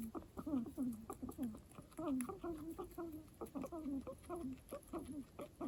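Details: {'caption': 'Pet guinea pig known for an unusual, talk-like voice, giving dense strings of short descending squeaky notes with rich overtones, several per second with brief pauses between bursts.'}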